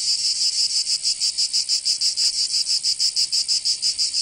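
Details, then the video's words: Cicadas singing in summer in Provence, southern France: a dense, loud buzzing chorus pulsing in quick regular throbs, about three per second, with no other sounds. "Canto Cigarra 🦗 [ Escuchar les cigarras en verano 10 H]"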